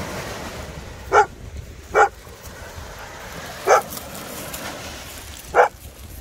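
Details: Playful barking from a Maremmano-Abruzzese Sheepdog romping with a Golden Retriever on the Black Sea coast: four single clipped barks spaced one to two seconds apart against a steady wash of waves.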